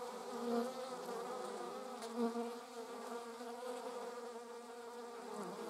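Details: German wasps carrying prey give off a steady, low droning buzz with layered harmonic bands, swelling briefly near half a second and again just after two seconds.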